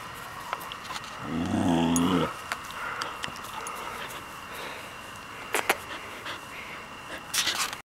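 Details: Belle, a year-old purebred Border Collie rescued from Border Collie Rescue of Minnesota, chases and herds the camera indoors. She makes one low, drawn-out harmonic growl lasting about a second, then thumps, clicks and scuffling follow.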